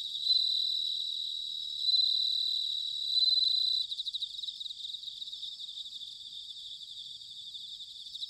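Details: Bell cricket song recorded in autumn in Sanuki, Chiba, Japan: three loud clear ringing bell-like trills in the first four seconds, each swelling then stopping, followed by softer pulsed chirping from other crickets.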